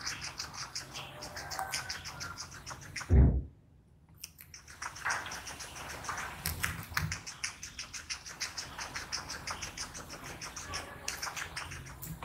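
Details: Close-up ASMR eating by a small guinea pig: continuous crunchy chewing clicks, broken by a sharp thump at about three seconds and a moment of near silence, then the crunching resumes steadily.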